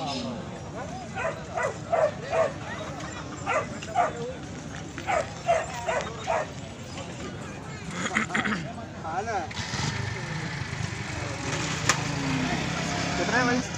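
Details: Nine-month-old German Shepherd dog, filmed amid fighting, gives a run of short sharp barks over the first six seconds, with a person talking and louder rustling noise taking over afterwards.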